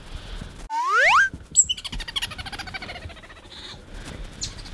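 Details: Pet otter Bingo, in an attention-seeking mood, gives a bright rising squeak lasting about half a second, followed by a quick run of short chirping squeaks fading into soft background rustle.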